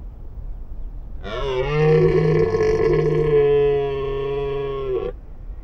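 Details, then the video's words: Rutting roar of a wild red deer during the mating period. One sustained, hoarse, rich bellow of about four seconds, steady in pitch and loud throughout, rising out of faint background rumble. "Amazing Roar of a Deer | The Mating Period of the Red Deer"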